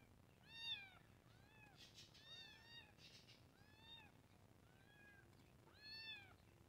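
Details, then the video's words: {'caption': 'Kitten, shown with two other cats, gives a run of about seven high, piercing meows, each a rising-then-falling arc with strong overtones, roughly one per second, some overlapping, over a low steady hum.'} "New Kitten Meow"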